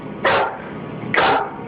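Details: Nervous full-grown dog in a room, backing away from something and refusing to go past a line, gives two short, sharp barks about a second apart over a low steady hum.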